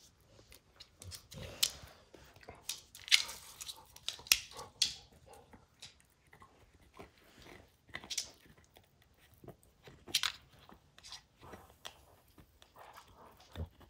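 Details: Max, a pet dog, tears apart a baseball's hide indoors: sharp crunchy bites and clicking rips come in irregular bursts, some loud, with short quiet gaps between them.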